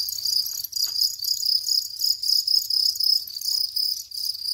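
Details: High, ringing house cricket chirps in rhythmic clusters, swelling and fading roughly every half second, steady in pitch, with a soft low hum underneath.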